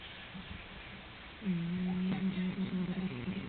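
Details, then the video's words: Biscuit, a pet cat, dozing indoors after being bored to sleep by the Trisha Show on television; a low, steady buzzy snore starts partway through and holds for about two seconds over faint background television voices. "snoring cat"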